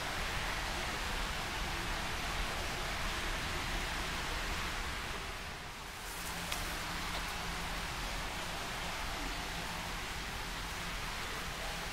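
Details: Heavy hiss like rain or rustling covers everything, with a brief dip midway; no animal calls can be picked out.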